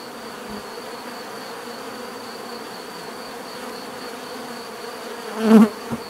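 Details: Soft, distant bee hum as a quiet background drone, then near the end one louder, brief buzz swells and fades as if a bee passes close by.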